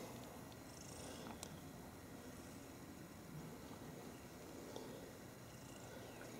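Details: Two domestic cats snuggling and play fighting together, giving a soft, steady low rumbling purr throughout, with a faint background hiss and a couple of brief clicks.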